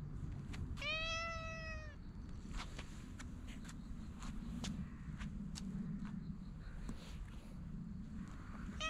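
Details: Stray cat being tapped on the lower back gives a single clear meow about a second long, then goes quiet, with low background rumble and faint clicks.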